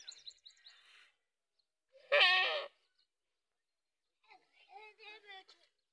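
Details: Goats on a farm; a single loud, harsh bleat with dense harmonics lasts about half a second near the middle, flanked by faint higher chirps and twittering calls from birds before and after.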